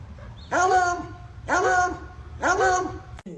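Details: A dog making funny sounds: three drawn-out, harmonic, whining yowls about one per second, each rising then sliding down, over a low steady background hum.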